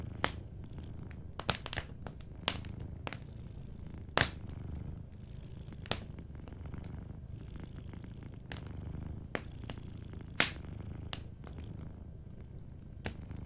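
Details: Low, steady purring of a sleeping cat beside a fireplace, with the fire's crackles and loud pops punctuating the soft rumble throughout.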